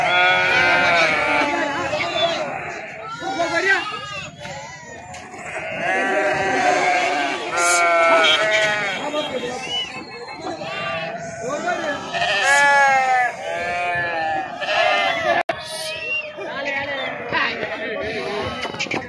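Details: A flock of sheep unloaded at Pebbaru (Pebbair) market in Telangana, India, bleating continuously; many overlapping wavering, quavering bleats rise and fall throughout, with occasional sharp clatters and human voices mixed into the crowded din.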